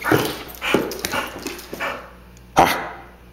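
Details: Pinky, a female Pit Bull x Boxer pet, tears around an apartment after her walk, attacking a sock; short gruff barks or growls in quick bursts over two seconds, then a quiet pause and one sharp louder bark.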